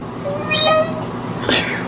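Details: Kitten giving a single short, thin meow that rises and then falls, followed by a brief second squeak, over a steady indoor background hum.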